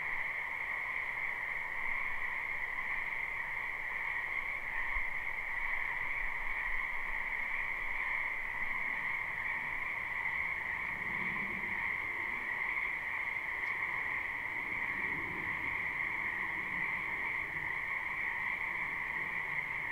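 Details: Spring wetland full of frogs, captured live without looping: a continuous high trilling chorus from many callers holds steady throughout, with faint lower murmurs and a brief click near the two-thirds mark.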